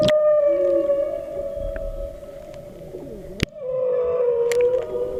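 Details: Humpback whales directly beneath a boat off South Maui, Hawaii, on 24 January 2013: a sustained tonal moan holding steady with harmonics, dipping slightly, with a sharp click near the middle and a second lower moan returning.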